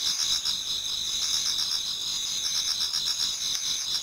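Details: Autumn insects in a Japanese garden before dawn, many singing together; continuous shrill ringing trills stacked at several high pitches, pulsing roughly four times per second throughout the short stretch.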